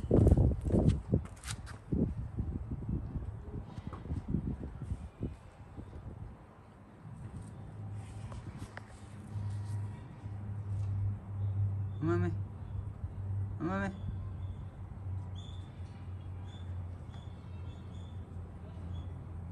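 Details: Mame Daifuku, a cat out on a walk, gives two brief harmonic meows in the second half, about a second and a half apart. Earlier there are footsteps and rustling, and a low steady rumble runs underneath.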